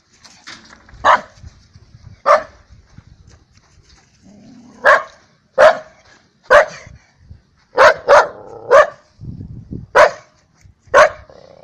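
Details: At a dog run, Daikichi, a lively rescue dog, barks about ten times: sharp, bright single woofs, spaced out at first, then coming in a quicker cluster, with faint voices between.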